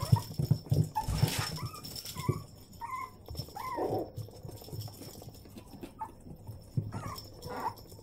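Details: Six-week-old Yorkshire Terrier puppies give thin, high whimpers and squeaky yips in short bursts. Yorkshire Terrier.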